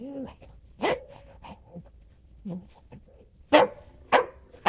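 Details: Golden Retriever indoors with a short whine, then a few scattered sharp barks and low grumbles, ending in a quick pair of loud barks.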